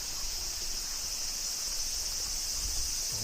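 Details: Cicadas in the village of Shirakawa-go, not yet their typical sound; a faint, steady high-pitched hiss holds without pause through the whole stretch, over low rumbling background noise.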